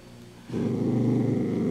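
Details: Dachshund eating a crunchy handmade treat, a low rumbling growl starting abruptly after a quiet half second and holding steady to the end, indoors.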